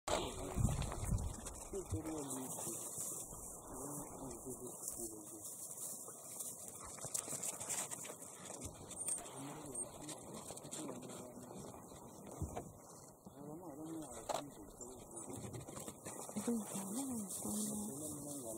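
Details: Pack of African wild dogs about to go out hunting, Manyeleti Game Reserve, October 2019, give high, bird-like twittering and squeaky calls over a steady insect hiss.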